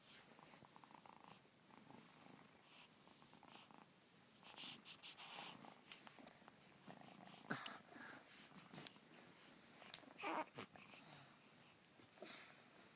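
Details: Domestic cat purring indoors at close range: a soft, rough, continuous rumble with breathy pulses and intermittent louder rasping bursts throughout.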